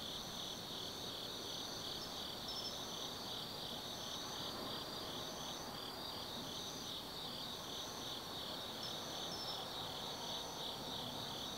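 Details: Autumn night at a mountain observation deck in Gifu, Japan, where forest insects keep up an unbroken high-pitched trill, pulsing softly, joined by intermittent brief chirps, over a dull low rumble, perhaps distant traffic.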